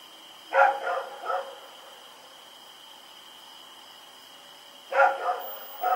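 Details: Night recording from Pyrga on October 7, 2018 of Rex the dog running around and barking: a triple burst of hoarse barks, a quiet gap of about three seconds, then another burst of barks, faint constant whine behind.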